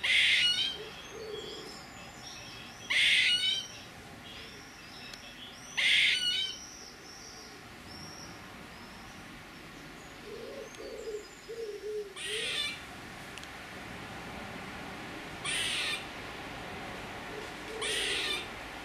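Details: Squirrel calling with a series of scratchy, breathy rasps at irregular intervals, the first three loud and the later ones softer, with a few faint low murmuring sounds in between.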